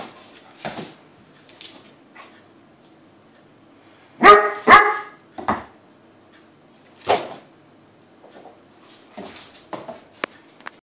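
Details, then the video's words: A Weimaraner barks indoors while trying to play with a cat on the other side of a door: loud sharp barks in uneven bursts, a double bark near the middle, then softer yips and scuffling sounds. "Weimaraner trying to play with cat"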